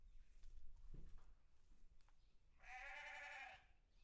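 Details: A farm sheep gives one short, bright, buzzy bleat late in the recording, preceded by soft knocks and low background rumble.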